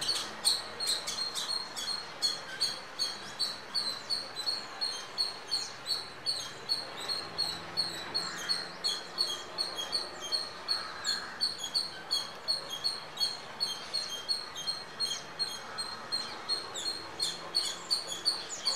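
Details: Indian squirrel filmed near a home on a Nikon D5300 with natural audio, giving sharp, high, chirping squeaks in a steady series of nearly three per second, sustained throughout over a faint background hiss.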